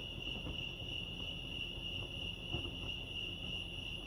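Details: Crickets chirping at Lake Arrowhead, California: a steady, high, shimmering trill runs without pause through the whole stretch, over a soft low rumble of background noise.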